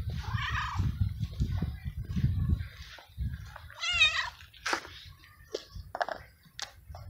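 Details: Male stray cat in the heat phase, meowing a lot on seeing his carer and getting excited when stroked. Two clear, quavering meows, the second longer and bending in pitch, with soft clicks, rustling and low hum between.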